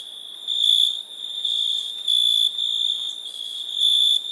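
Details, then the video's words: Nighttime crickets give a continuous high-pitched ringing trill that swells and fades in loudness every second or so, with fainter overtones above and no other sounds. "Relaxing Chirping Crickets"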